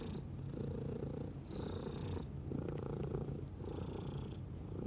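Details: Low, rattling purr from a domestic cat, steady throughout, with gentle breathing surges marking each cycle.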